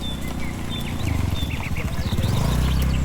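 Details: Village cattle herd heading home to the shed in the warm evening; a short, deep, pulsing moo rumbles for about a second, with faint bird chirps above and steady outdoor background noise.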